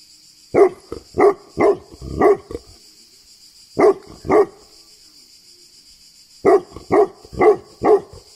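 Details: Tibetan Mastiff in Greece barking in three bursts: four rapid deep barks, then two, then five more after a pause, about a dozen barks in all.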